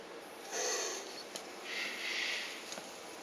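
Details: Mating elongated tortoises, after a week of courtship. Two breathy, sniffing wheezes a second apart, each with a thin squeaky whistle inside. Brief clicks come between and after them, over a quiet background hiss.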